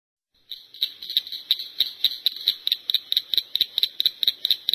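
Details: Cricket frog calling: a rapid series of sharp, clicking metallic notes, about three to four per second, steady and slightly accelerating, in an otherwise quiet setting.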